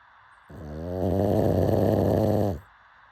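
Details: Sleeping pug snoring: one long, rasping, buzzy snore of about two seconds that swells a little in loudness before it stops abruptly, against a quiet room.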